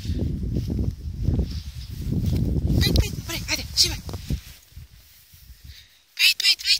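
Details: A 10-year-old female Basenji, unhappy about the snow, gives strained, yodel-like whines and yelps of protest after a stretch of human voices.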